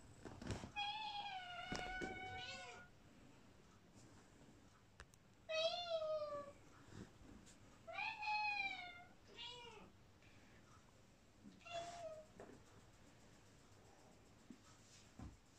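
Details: Female British Shorthair cat indoors, answering as her owners call her: several drawn-out, wavering meows, each about a second long, spaced a few seconds apart, with quiet room noise between.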